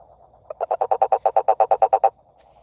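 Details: A single toad croak sequence: about fourteen quick, throaty pulses in a second and a half, starting softly and building, set against a quiet background trill.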